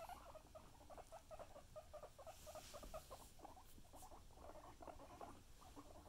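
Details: Guinea pigs eating carrots, a steady rapid crunching and gnawing with soft repeated chewing bursts throughout, no calls standing out.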